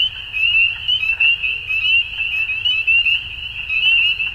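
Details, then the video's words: Chorus of frogs at dusk, many voices merging into a continuous piercing trill with small rapid pulses and uneven loudness swells, faint low background hum beneath. "Frogs At Dusk"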